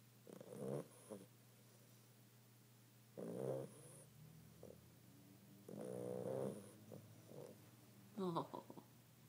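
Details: A very tired bulldog puppy asleep and snoring; quiet, rasping snores come about every two and a half seconds over a steady low hum.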